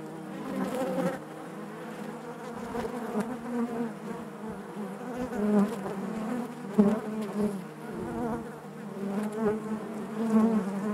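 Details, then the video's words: Continuous hive drone of honey bees, a layered low hum with many overlapping wingbeat tones, rising and falling gently in loudness, with occasional closer bees buzzing past over the steady background. "bees therapy hive natural buzzing sound"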